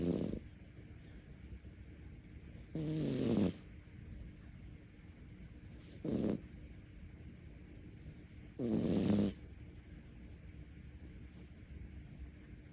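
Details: A cat snoring in its sleep, with four rough snores of varying length spread across the stretch, irregular gaps of two to three seconds, low grainy tone; calm indoor quiet between breaths.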